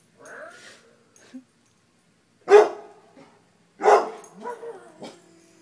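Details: Dogs reacting to a deer mount: a low whine, then two loud, rough barks about a second apart, the second trailing into a wavering whimper.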